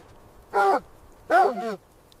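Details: Two harmonic, arching yelps roughly three-quarters of a second apart from dogs at play in fresh winter snow, a puppy litter with its mother; the second call is longer and wavers before dropping off. Otherwise quiet.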